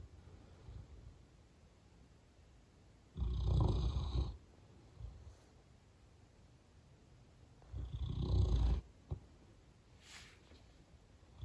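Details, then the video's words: Snoring English mastiff named Gunther: two loud guttural snores about five seconds apart, each lasting about a second, with soft breathing between and quiet background. "Have you heard a mastiff Snoring ?! English mastiff snoring"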